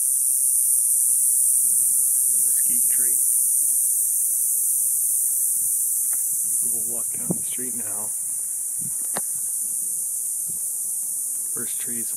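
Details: Cicadas chorus in a neighborhood just after sunset on a hot summer night, in the dark. A steady, loud, high-pitched hiss-like buzz runs unbroken while a man talks over it at intervals.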